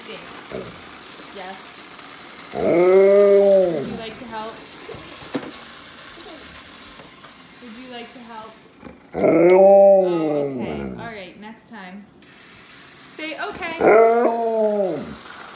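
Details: An Alaskan Malamute gives three drawn-out, wavering howls that swoop up and then slide back down, howling while a child vacuums the kitchen with a toy vacuum.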